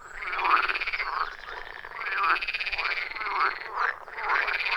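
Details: Frogs calling together from a quiet forest pond deep in the woods, iPhone 14 Pro and Shure MV88+ recording; rolling, rhythmic croaks with rising and falling sweeps repeat roughly every second under a continuous chorus.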